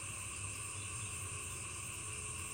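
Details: Many frogs call together at night in a village, all else quiet: a loud, steady chorus of a whole swarm calling at once over a low background hum.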